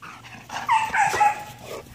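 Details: Ares, a Belgian Malinois, gives a drawn-out high whine that wavers up and down with bright overtones, swelling louder midway before fading, over a low steady hum.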